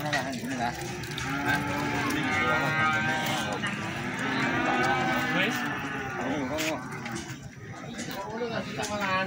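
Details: At Plaosan market in Magetan, premium feeder cattle being sold give a long, steady moo over the first few seconds, then quieter lowing continues amid chatter and crowd noise.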